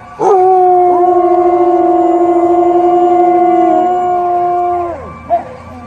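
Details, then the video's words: Dog howling in response to sirens: a single long, steady, level howl holding for about four and a half seconds, then sliding downward at the end, followed by a brief short yelp. "Dogs Howling On Sirens"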